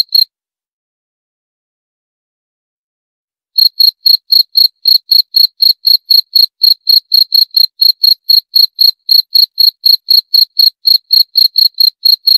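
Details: One brief chirp, then over three seconds of silence, then a long run of sharp high cricket chirps at about four per second, continuing evenly to the end.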